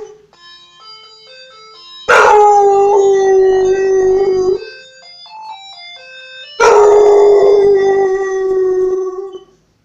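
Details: Domestic dog singing with the doorbell's chime tune: two loud, long howls start high and fall to a steady sustained note, with quieter melodic chime notes before and between them.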